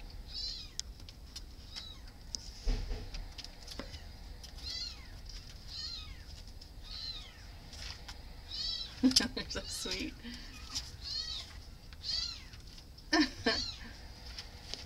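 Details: Shelter cats meowing repeatedly with many short arched, slightly wavering meows spread throughout, some louder overlapping bursts near the middle and end, with Spanish speech and light clattering in the background.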